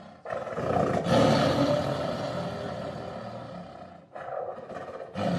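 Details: A tiger gives a long, harsh, drawn-out roar lasting nearly four seconds, fading to a rumble before a second roar begins.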